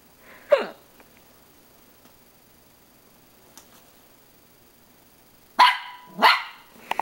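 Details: Dog barking at himself in a mirror, one sharp bark, then a long quiet pause before two more abrupt barks in quick succession as a person asks who is there.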